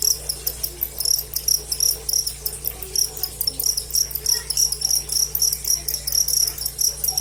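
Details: Cricket in a direct live recording, chirping in quick, high-pitched pulsed bursts that follow one another without pause over a low, quiet background.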